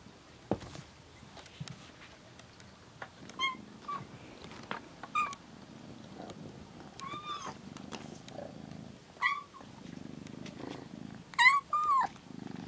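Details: Rescued kitten on its 27th day in care, in a cat room, sleeping beside another cat named Shipi and touching its hind legs; short rising-falling meows come every second or two over a low purring background.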